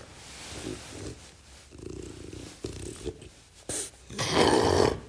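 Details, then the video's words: French bulldog growling while taking a ball from its owner; low rumbling growls in several bursts, with a louder, harsher snarling outburst near the end. "How does the French bulldog take the ball from the owner?"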